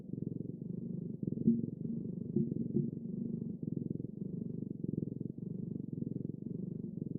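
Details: Domestic cat purring: a steady low rumble made of fast, even pulses, rising and falling gently with each breath, with no other sounds.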